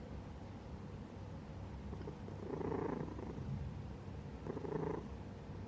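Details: A pet cat purring while asleep: a soft, low, rumbling purr rising into two brief swells, each lasting under a second, over a steady quiet indoor hum.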